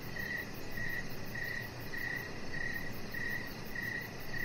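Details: Crickets chirping outdoors on a deck in the evening, a steady high, thin pulsed chirp repeated roughly every half second over a soft continuous background hiss.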